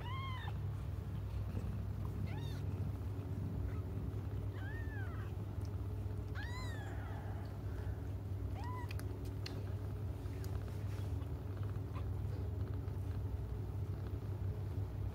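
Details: Cats crying while waiting for their mother: a series of short, arching, harmonic meows spaced every couple of seconds over the first ten seconds, then quieter, over a steady low hum.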